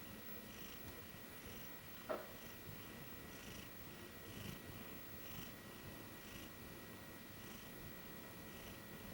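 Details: A sleeping female Maine Coon cat napping on a bed snores softly, with a gentle breathy rasp repeating about once a second.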